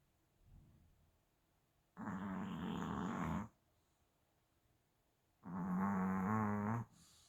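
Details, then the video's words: A Chihuahua snoring indoors: two long, rasping, buzzy snores of about one and a half seconds each, separated by a quiet pause of roughly two seconds, with a faint softer breath before the first. "치와와 코골이2"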